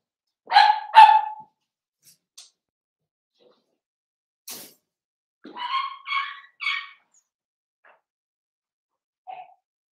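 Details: Seven-week-old Cavalier King Charles Spaniel puppies from Daisy's litter in an indoor home puppy pen. Two quick harmonic yips open the clip, followed by a faint click, then three short rising-falling yelps and a soft final squeak, with long quiet gaps between.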